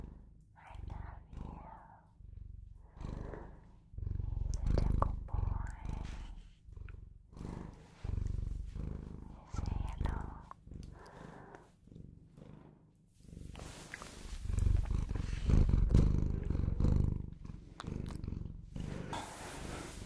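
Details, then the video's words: Bengal cat at home giving a continuous low purr that throbs with each breath, partly covered near the end by loud rustling and handling noise. "Bengal Cat Purrs On Video And Makes The Best Sounds To Put You To Sleep"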